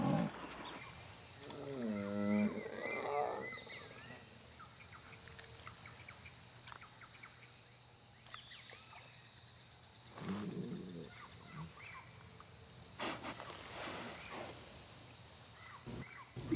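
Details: A female jaguar in the Brazilian Pantanal forest gives deep, hoarse grunting calls to attract a male, with faint birds behind.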